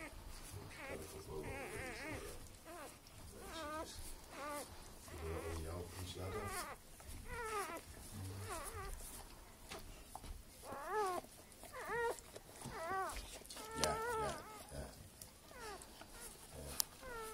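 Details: Newborn Northern Inuit wolfdog puppies, just born: many thin, rising-and-falling squeaks and whines, overlapping and repeated about once a second, with a person talking quietly underneath.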